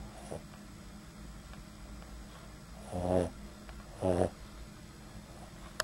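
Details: Sleeping Boston Terrier giving light snores, recorded close up at the nose; two short rasping snores about a second apart after a quiet stretch, with a faint low background hum.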